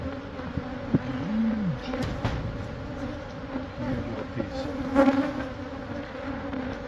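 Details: Honey bees from a hive inside a building wall at a Catholic church in Monrovia, being removed for relocation; a steady low droning hum with a harmonic band above, a short gliding tone and a few knocks over it.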